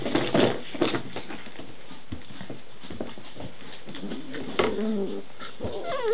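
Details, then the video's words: Indoor play between six-week-old Standard Schnauzer puppies in pairs: loud growls and yips at the start, then quieter grumbling, with whiny squeals rising and falling near the end. "Standard Schnauzer pups_noisy puppy play"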